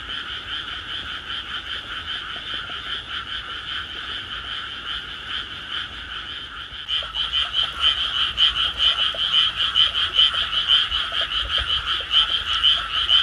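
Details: Frogs calling in a loud night chorus in Tsurumaki-nishi Park, Tama City, on 16 May 2024, recorded on an iPhone; dense overlapping rapid croaks in two bright bands, swelling louder after about seven seconds.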